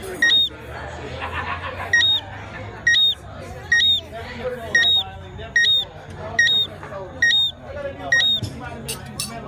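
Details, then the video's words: A Jamaican tree frog at a resort in Montego Bay, Jamaica, gives bright, sharp chirps that rise and fall quickly, repeating steadily about once a second, with people talking in the background. "Jamaica Tree Frog Bird Chirping Sound"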